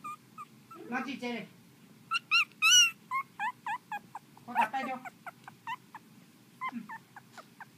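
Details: Several sharp, high-pitched yips and bent whines come from Pomeranian puppies in quick, uneven bursts, some of them squeaky and falling. A human voice speaks low underneath at times.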